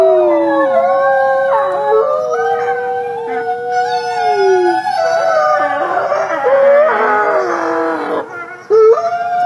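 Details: Several gray wolves (Canis lupus) howl together, more of a soft whining howl, their drawn-out wavering notes sliding up and down and overlapping.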